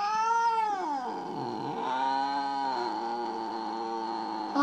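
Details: Mo, a house cat who seems upset after another kitty visited, lets out a long complaining wail that falls sharply, then holds a low wavering drone for several seconds while a man pleads with it.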